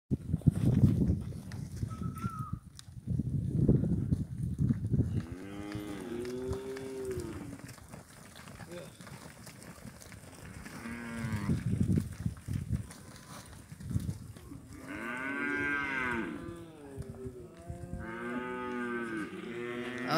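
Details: Herd of 32 cows of third to fifth calving, bred with black and red Brangus bulls, at Campo Gallo; deep low lowing early on, then repeated drawn-out harmonic moos, some rising and falling, overlapping from several animals, with brief speech.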